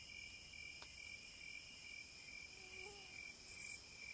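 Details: Cicadas in the wild, a steady high insect drone of several unbroken shrill bands, one strongest and highest, holding constant throughout, with a faint brief whistled note near the end and soft background hiss.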